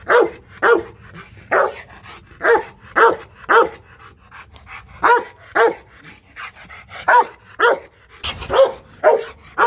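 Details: Roughly seventeen loud barks from an aggressive Rottweiler at a Vietnamese kennel in Hanoi, delivered in uneven bursts of two to four with brief pauses between groups.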